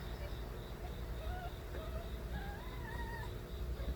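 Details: Crying of stray kittens belonging to Nabi: several short thin mews in quick succession, ending with a longer, drawn-out wavering cry, heard over a heavy low rumbling background.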